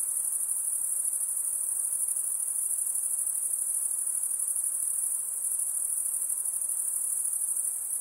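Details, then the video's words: High, continuous insect trilling forms a bright shimmering band without a break. The pulses are rapid and blur into one ringing tone over a low, quiet background hiss. "high pitched INSECT sounds"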